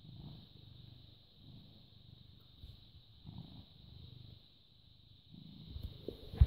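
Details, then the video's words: A domestic British Shorthair, nearly seven years old, purrs steadily at 09:16 on 14 May 2017. The deep rumble rises and falls in regular breathing rhythm, with a faint high-pitched hum behind it and a brief knock at the end. "British Shorthair Cat purring"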